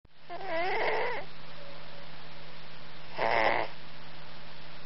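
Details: Sleeping domestic cat snoring indoors: two rasping, buzzy breaths, the first about a second long and the second shorter three seconds later, over a low steady hum.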